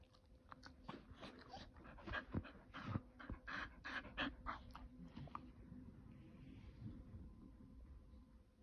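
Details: Kumo, a pet Keeshond, begging to go outside: a run of short, breathy, broadband puffs and soft whimpering noises through the first five seconds, irregular in rhythm, then fading to quiet room hum.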